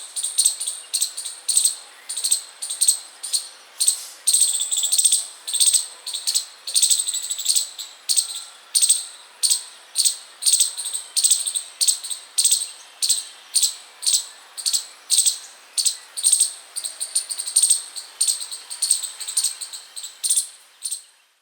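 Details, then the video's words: A chipmunk outside a house keeps up a steady run of piercing, high-pitched chips, roughly two each second for about twenty seconds, spacing a little irregular and some notes doubled, before the calling stops; the surroundings stay quiet. "Chipmunk Chirping Sound"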